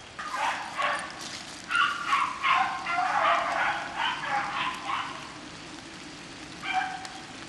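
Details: Pack of beagles chasing rabbits in the rain, heard at some distance: quick repeated yelps and bawls running together for several seconds, then a lone later bay over steady rain noise.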